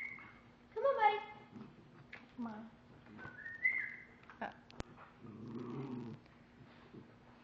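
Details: Dexter the dog tries to sweet talk Chica into giving back his stolen bone. He makes a string of wavering, yodelling whines and grumbles, some rising high, then a low rumbling moan. A woman speaks softly, and there is one sharp click.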